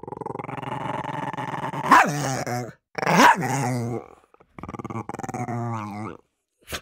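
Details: Dog growling and barking while fighting over food: a steady harsh growl cut by two loud explosive barks, then another rough growl sliding in pitch before a brief closing yip.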